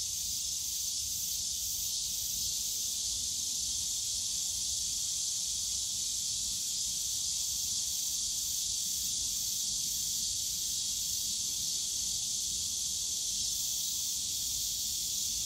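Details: Cicadas in the bamboo forest of Yongsan Family Park on a summer day, a dense, steady high buzzing drone with a faint rapid pulsing at its top edge, over a low rumble of park noise.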